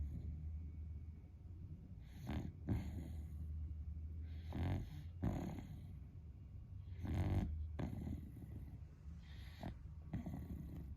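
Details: Sleeping pet Beagle, a friend's dog, snoring loudly like a person: low rumbling snores with louder breaths near 2.3, 4.6, 5.2 and 7.2 seconds, steady low hum underneath.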